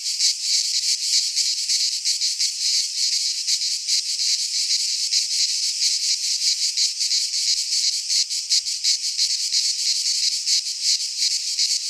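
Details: Cicadas in Greek nature, a pine forest in midsummer, produce a relentless shrill whirring chorus with fast rhythmic throbs about three per second and no break or competing sound.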